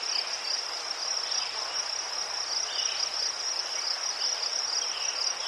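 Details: Crickets among chrysanthemums in Ukraine: a bright, shrill, rapidly pulsed trill steady at one pitch, with a few faint lower chirps and a light hum in the background.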